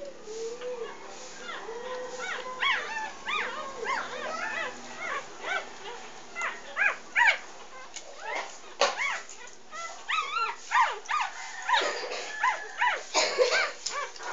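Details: Nursing English Bulldog pups, three days old, from Maggie's first litter of six, three female and three male; arched squeals and high whimpers follow one another almost continuously, overlapping as several pups cry at once, with occasional sharper yelps.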